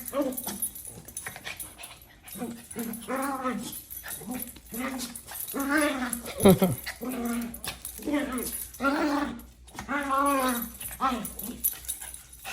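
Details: A Maltese dog gives a run of whiny, arching grumbles, each rising and falling, about once a second, while play-fighting.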